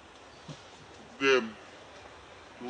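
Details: Monkey near Angkor Wat, in its natural habitat, while mother Brianna nurses her baby Briar: one short harmonic squeal with stacked bands, rising then falling, against quiet background, with a faint low sound before it.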